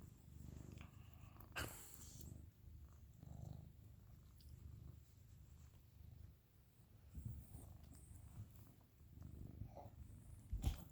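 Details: Deep, breathy snores from Dodger, a dog asleep during a nap indoors, come in low rumbling swells every few seconds, separated by quieter breaths, with a couple of sharp taps and clicks.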